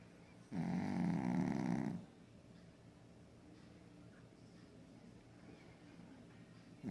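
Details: Snoring from a sleeping Pekingese: a loud, rough, fluttering snore of roughly one and a half seconds, followed by a long quiet stretch of room hiss.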